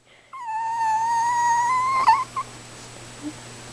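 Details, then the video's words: Precious the Chihuahua howling while demanding and excited: one long steady high whine held for almost two seconds with rich overtones, ending in a short cracked yelp and a brief softer note afterward. "howling and demanding chi"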